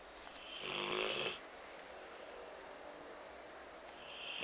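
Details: Astro, a pet Rottweiler napping indoors, snoring: one long raspy breath noise of about a second, then quiet breathing and the start of the next snore.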